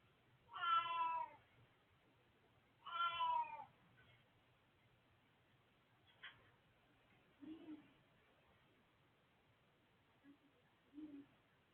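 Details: Elderly male house cat giving two strong meows about two seconds apart, then quieter short chirps and faint low murmurs in a quiet room.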